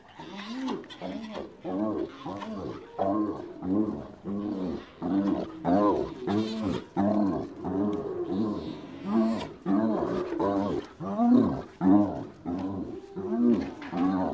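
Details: Spotted hyena laughing, a maniacal series of short, nasal, arched notes repeated about twice a second for the whole stretch, uneven in loudness, with a few sharper clicks mixed in.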